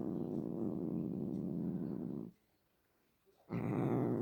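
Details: A pet cat making a low, harsh rumbling purr for about two seconds, then a silent gap before a brief burst of similar rumbling.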